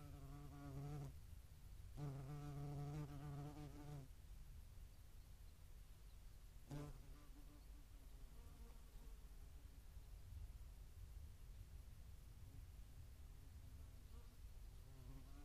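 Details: European hornet at a feeding site in Dohr, Eifel, on 11 July 2022, median wasps also visiting; low, droning wingbeat hum in two bursts, one short and one about two seconds long, then a brief fly-past and steady background rumble.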